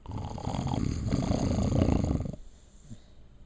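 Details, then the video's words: Snoring puppy, a female, sleeping: one continuous low rattling snore of about two seconds with a fluttering texture, then soft quiet breathing. "Snoring Puppy Goes Viral"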